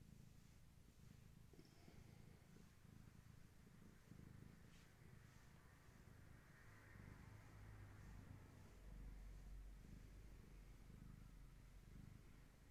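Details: Low continuous purring of a pet cat with Gaia's kittens, a long-haired tabby's litter, at evening play and massage time indoors; a dense rumbling hum under steady background hiss.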